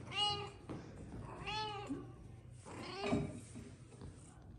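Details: Meowing from Persian cats, a mother playing with her tiny kittens indoors: three short harmonic meows roughly 1.4 seconds apart, bright and slightly wavering, over a steady low hum with brief soft human sounds.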